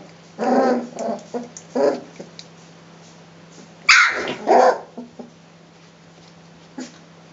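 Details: Playful three-week-old Rhodesian Ridgeback puppies growling at one another in a kennel: a few short gruff growls, a sharp burst with a yelp, then a faint squeak before quiet.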